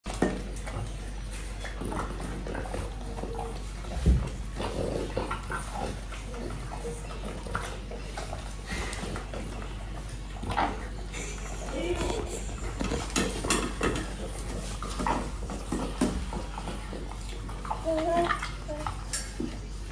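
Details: French Bulldog eating an apple indoors: wet, snuffling chews and soft crunches in a steady stream, with one sharp louder crunch near four seconds and a low constant room hum underneath.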